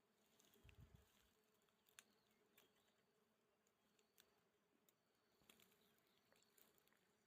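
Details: Wild honey bees at a nest found in a bamboo clump, giving a steady low droning hum with faint higher overtones, interrupted by a few brief sharp clicks and a short low thump near the start.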